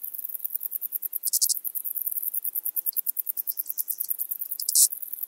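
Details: Eastern banded grasshopper singing at Zalahalap, Hungary, on 18 July 2022: rapid, very high dry ticking pulses, about seven per second, with brief louder rasping bursts near one and a half and five seconds.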